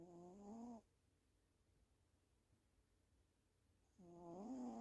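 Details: Sleeping female pet cat snoring indoors: two droning, harmonic snore breaths about three seconds apart, each edging slightly upward in pitch, with quiet room tone between them.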